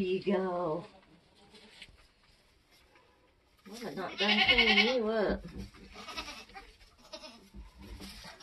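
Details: Nigerian Dwarf goats being born on a homestead: a brief wavering bleat, a pause, then a longer, louder tremulous bleat, with quiet voices afterward.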